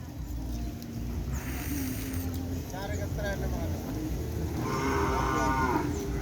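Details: Cattle in training for bull racing (kerapan sapi) ahead of the President's Cup, with a new formation: a harmonic moo rising and falling near five seconds, under constant engine-like rumble and voices of people talking.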